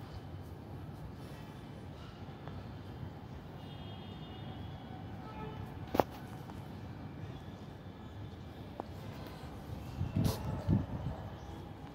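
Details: ['Low rumbling urban background like a passing train, with faint speech and a few sharp clicks; no animal sound.']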